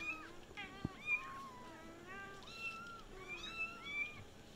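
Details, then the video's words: Several kittens meowing all at once, overlapping high, bending mews that rise and fall, repeated without pause through the whole stretch, with faint background hiss. "Kittens meowing (too muchcuteness) All talking at the same time!"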